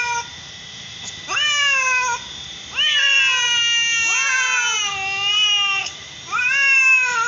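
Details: Domestic cats, a mother and daughter of the same colour, giving long drawn-out meows, each swooping up then sliding slowly down, about four in a row with short pauses between.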